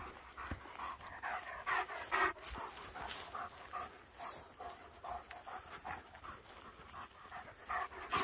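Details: German Shepherd dogs on a forest walk, panting in quick, breathy bursts of roughly two per second, soft rhythmic huffs with light rustling and footsteps in the background.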